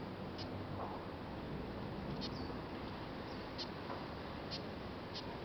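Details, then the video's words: Adult Acherontia lachesis hawkmoth, garden-reared from a caterpillar in Singapore before release, giving short sharp high squeaks roughly once a second, partly buried in constant broadband hiss. "Acherontia lachesis - Squeaking in Singapore"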